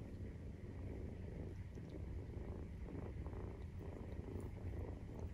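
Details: Maine Coon cat purring while nursing her kittens, which are 43 days old, indoors at home: a steady low rumbling purr with a continuous throbbing pulse throughout, quiet and even, with faint soft clicks on top.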